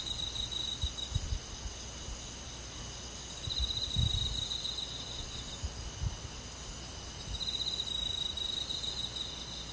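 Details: Night-forest insects on a summer evening in the countryside: a cricket repeats short bursts of shrill trilling about every four seconds, with occasional soft low thumps underneath and a constant background insect hum.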